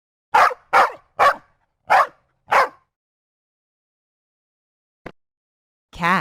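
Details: Dog barking: five sharp, loud barks come in quick succession over about two seconds. Then there is silence and a single click, and at the end a different wavering, tonal call begins.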